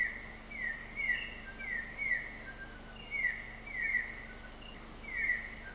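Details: Broad-headed frog recorded in Sabah, Borneo, Malaysia: about a dozen short, downward-sweeping chirps, spaced irregularly and sometimes paired, over a continuous high insect chorus.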